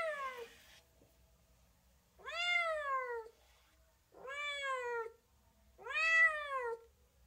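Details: Cat giving a series of drawn-out meows, each swelling and then sliding downward, about one second apart with short pauses, the tail of an earlier meow at the start; quiet room, no other sounds.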